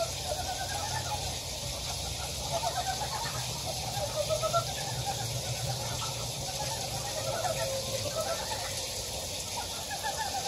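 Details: Frogs croaking in a Gyejoksan valley, Daedeok-gu, Daejeon: scattered pulsed, rattling notes from several animals rise and fall at mid pitch, set against a strong steady hiss like running water.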